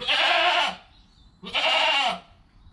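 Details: Two loud, bright bleats from Joel, a newborn goat kid in his first hour of life, each lasting under a second with a slight falling tail, mother Penny close by.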